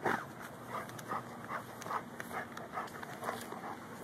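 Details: Quick, rhythmic huffs of breath come about twice a second from Lou, a Ridgeback–Bull Mastiff cross hunting a gopher by digging at its mound, filmed on a Samsung Galaxy S3, with light background noise.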